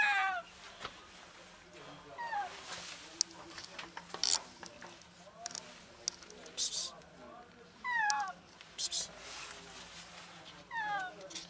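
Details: Female cat trapped on the ground floor of an enclosed alley, apparently sick, meowing desperately for help: four drawn-out, falling meows spaced a few seconds apart, with scattered clicks and rustling noises between them.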